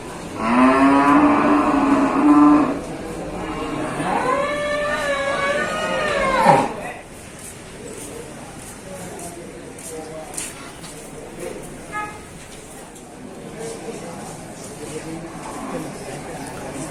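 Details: Large cattle at the Sibreh livestock market in Aceh Besar, Indonesia, on Wednesday 7 December 2022. Two long, loud moos come first, one steady and one wavering before it drops away. Quieter market murmur and faint clatter follow.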